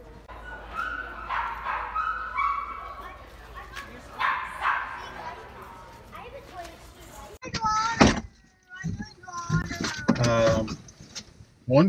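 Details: Female Staffordshire Terrier puppy on the day she is brought home. High, thin whimpers come first, then sharp, loud yips and short barks in the second half, with people talking throughout.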